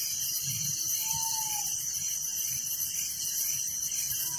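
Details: Dense nocturnal cricket chorus recorded in a village, a shrill, even chirping with a pulsing under-trill, broken only by a short, soft falling whistle early on.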